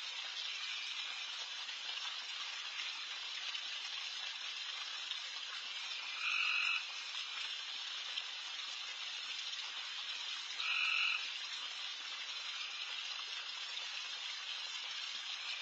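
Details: Night-time frog chorus in a backyard, countless loud frogs calling together as a continuous sizzling high drone; only twice, about four seconds apart, does a closer frog stand out with a short, flat, two-toned call.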